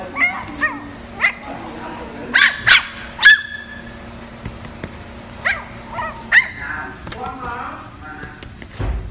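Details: Poodle puppies in Bình Dương, Vietnam, give high, sharp yips and little barks in scattered bursts at uneven intervals, some doubled and a few whining upward, while people talk quietly in the background.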